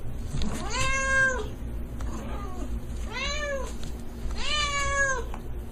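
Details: Domestic cat meowing three times, each a drawn-out arched, harmonic-rich meow, spaced about two seconds apart over a steady low hum, indoors.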